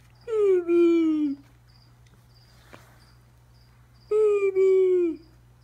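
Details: Chihuahua reacting to a rainbow unicorn: two drawn-out, slightly falling howls about a second long each, separated by a quiet gap of nearly three seconds, with rich harmonic overtones; laughter follows.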